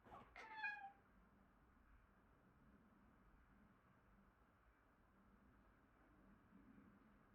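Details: Indoor Siberian Forest cat, one of twin brothers, calling his brother to come and play: a single short, clear, harmonic meow near the start that rises slightly then falls, followed by quiet room tone with a low hum.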